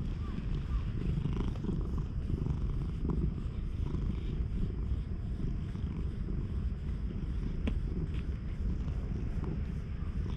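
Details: Stray cat purring with pleasure while being groomed with a nekojasuri brush, recorded outdoors on a GoPro HERO8: a steady, low, pulsing rumble runs unbroken through the whole stretch, with a few faint clicks and soft scraping on top.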